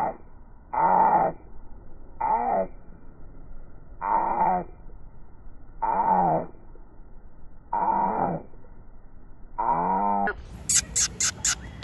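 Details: A male Corgi puppy gives short, harmonic whining yelps, repeated roughly every two seconds.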